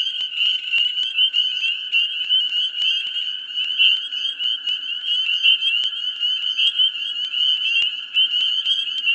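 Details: Mid-spring swamp packed with calling frogs; a continuous piercing trill from many animals, layered with rapid chirps and occasional sharp clicks, plus a faint low hum in the background.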